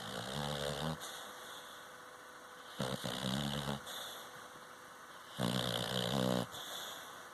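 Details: Sharky, a Cocker Spaniel, snoring while taking a nap indoors: three rough, low, rumbling snores, each lasting about a second, separated by quiet breathing pauses of roughly two seconds.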